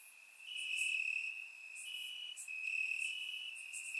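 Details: High, steady cricket trill on a warm summer night in grassland in Bulgaria, swelling after a quieter start, with a second caller adding intermittent bright accents.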